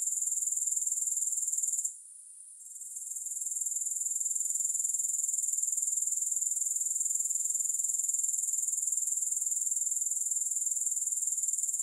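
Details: A high, sizzling grasshopper chorus pulses quickly and evenly, roughly four beats per second. There is a short gap after two seconds, then an unbroken trill. No music plays.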